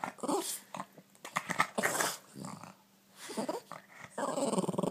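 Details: Boston Terrier growling playfully during a morning game of catch indoors; rough, grumbling bursts and short whiny grunts come in uneven spurts, with a woman's voice talking to the dog in between.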